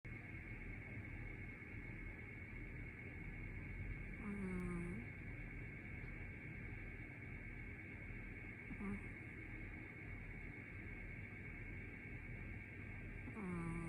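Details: Chacha, a sleeping cat, snores in short wheezy, falling, whistle-like breaths that recur about every four to five seconds, with a soft hiss at each breath and a steady low hum underneath.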